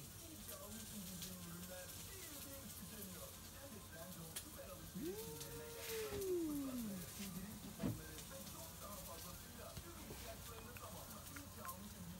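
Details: Rival stray cats, a tabby among them, meeting at midnight: a single arched yowl lasting about two seconds, rising then curving down, heard over a steady hiss and low rumble, with a sharp knock shortly after.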